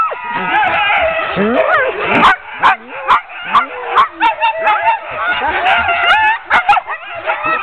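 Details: Sled dogs of a ten-dog team, harnessed for a training run in October 2010, keep up a constant overlapping din of shrill rising whines, yips and barks, with sharp clanks and thuds between them.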